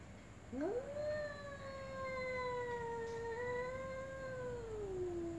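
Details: One long, slow meow from a ginger or black cat: a quick upward scoop into a steady, slightly wavering tone that holds for about four seconds before sliding down, clean harmonics over quiet background.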